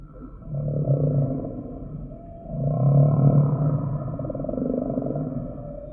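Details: Humpback whale singing: a low groaning moan, followed by a louder, longer harmonic moan that slowly tails off into a steady hum.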